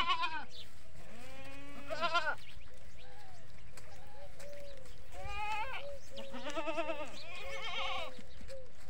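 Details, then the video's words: Farm goats, adults and kids of a desi herd, bleat in bursts roughly every two seconds, shaky and nasal with strong harmonics, several voices answering each other above a faint hum. "Beautiful Bakri Ka Awaaz || Goat Sounds At Goat Farming"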